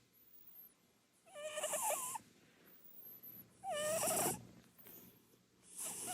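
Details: Purin, a chubby short-legged Munchkin cat, snores while asleep on the sofa. The snores are loud, breathy rasping bursts carrying a wavering whistled tone. Two full snores arrive about two seconds apart, and a third begins at the end.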